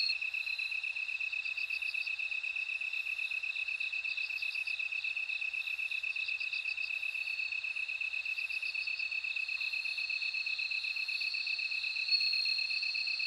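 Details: Steady high-pitched insect ringing from bell crickets, broken by short trilled bursts roughly every two seconds, with faint, very high chirps repeating regularly in the background.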